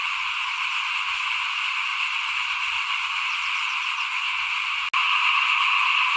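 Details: Small paddy frogs call in front of a house at rice sowing time in 2021, a dense, unbroken trilling chorus of many callers, with a brief cut near the end before the chorus resumes.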